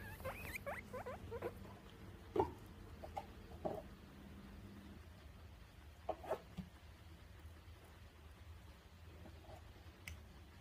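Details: Guinea pig being hugged and handled with clothes pegs: a few short, rising squeaks at the start, then soft scattered clicks and rustling over a low steady hum.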